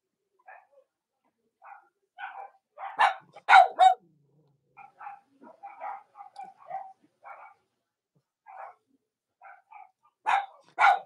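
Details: Cavalier King Charles Spaniel puppies from Robin and Myra's litters on a chilly Monday morning in the US: short scattered yips and small barks, irregular, with a few louder sharp barks.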